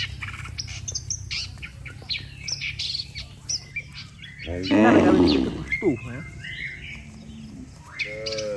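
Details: Cattle gathered in a neat line on a road, mooing to call the herd home: a grainy, low moo rises midway, followed by a shorter harmonic call, with constant chirping birds and a faint voice around them.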